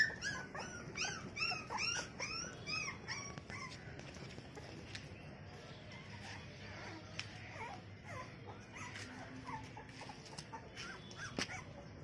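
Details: Female American Bully puppy gives rapid, high, squealing whines and yelps, several per second over the first three seconds, then fainter scattered whimpers with occasional knocks.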